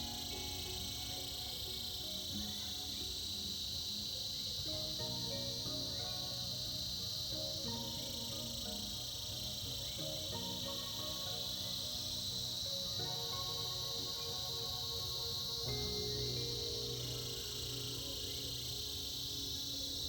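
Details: Cicadas buzzing in chorus during the winter season, a bright continuous drone that swells slightly at times, accompanied by sustained music-like tones shifting every few seconds.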